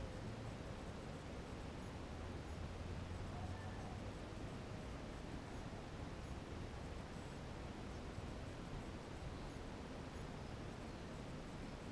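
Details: Only steady low rumbling noise, like wind or microphone handling, is heard, with no clear bird or other animal calls.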